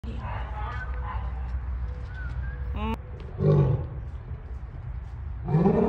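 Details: A male lion at the St. Louis Zoo, possibly calling in mating season, gives deep, rumbling roar bursts, repeated a second time, over a steady low background hum.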